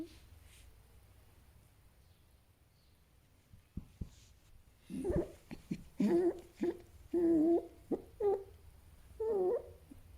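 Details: Fennec fox near silent at first, then a run of soft clicks followed by wavering, whimpering calls repeated about once a second, mid-pitched and slightly nasal.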